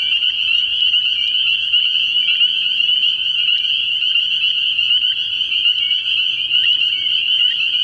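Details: Spring peepers calling as a dense chorus from a frog pond at night early in the year; countless high, shrill peeps merge into a steady, ringing wall of sound with no pauses, overlapping individual notes flickering throughout.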